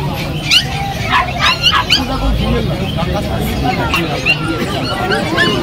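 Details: Golden Retriever puppies at Kolkata's Galiff Street pet market, a Sunday dog market: a few sharp yips and whimpering barks rise above a steady background of people talking and market bustle.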